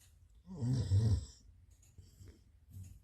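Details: Dog snoring loudly indoors in a small room: one deep, rasping low snore of about three quarters of a second, followed by softer, quieter breaths.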